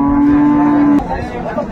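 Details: At Ambari market in Dinajpur, 22 April 2024, an improved-breed dairy cow kept with her calf gives a loud, steady, flat-pitched moo lasting about a second, which cuts off abruptly into low market murmur.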